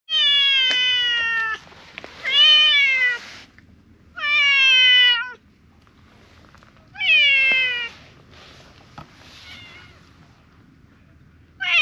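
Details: Sabatora (grey mackerel tabby) cat in a park, a stray, loudly appealing for something: four long harmonic meows, each dipping slightly in pitch, spaced about two seconds apart, with a faint start of another at the end.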